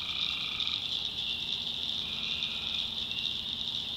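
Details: Tree frogs calling at night in a swamp in the backwoods of North Carolina: a dense, unbroken high-pitched trilling chorus holding steady throughout, with a fainter lower tone at the start and a soft low hum underneath.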